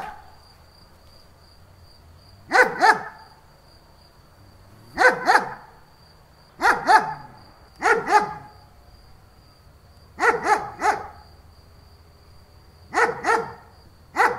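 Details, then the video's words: German Shepherd giving double and triple barks, loud and rough, separated by pauses of one to two seconds, with a low background hum. "Dog barking sound german shepherd"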